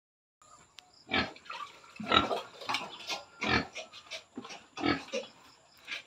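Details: Sow at 112 days of pregnancy, close to farrowing, gives a series of short, rough grunts about every second or so, rising and falling in loudness, with a faint steady high hum in the background.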